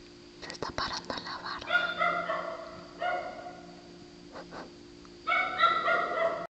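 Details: Night recording of a female dog with a sea lion-like bark: soft clicks and whispered sounds first, then bursts of honking, harmonic barks in quick runs over a constant low hum.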